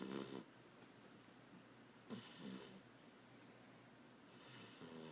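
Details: Tater, a beagle, snoring loudly while asleep: rough rasping breaths roughly every two seconds, each with a hissy, airy edge and low buzzing undertone, against a quiet indoor background.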